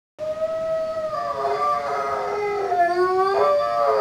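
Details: Three-year-old Rhodesian Ridgeback dog singing like a wolf: a sustained tonal howl held steady, then bending and wavering downward through several pitch shifts, with rich harmonics and a brief rise near the end, continuous for about four seconds.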